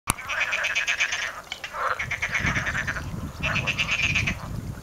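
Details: Frogs calling in a stream bed north of Paphos, Cyprus, on 14 January; a dense chorus of rapid pulsed croaks in overlapping bursts, with a brief pause near two seconds, over low rumbling background noise.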